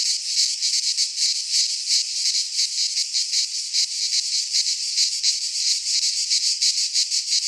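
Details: Greek pine forest in midsummer filled with singing cicadas, a bright, sizzling drone beating in fast pulses that swell and dip slightly, nothing else heard.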